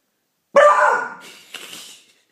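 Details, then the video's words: Beagle named Pauly howling at the neighbours in one of his first howls: a loud, harmonic, wavering cry that starts abruptly, slowly fades over about a second, then a softer second note trails off. "Pauly's first howl"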